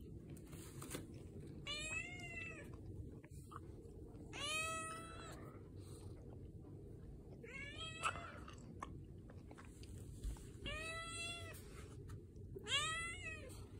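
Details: Domestic cat meowing as part of its usual morning routine, rubbing against and spoiling its owner at home; five clear, wavering meows that arch up then fall, repeated roughly every two to three seconds over a steady low hum.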